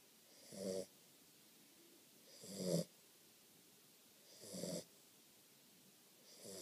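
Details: Snoring from a Catahoula Leopard Dog puppy in deep sleep, harsh wheezy snores repeated steadily about every two seconds, each lasting under half a second.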